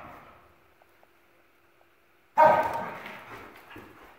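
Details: Two Dachshunds, Jax and his sister Penny, in puppy play, chasing each other indoors in a house; near silence with faint taps, then one sudden loud bark just past halfway that fades slowly.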